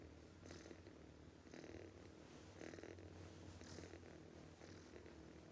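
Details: Loud snoring from a sleeping cat: breathy rasping pulses roughly once a second, each with a low rumbling buzz underneath, then a woman urges it to wake up.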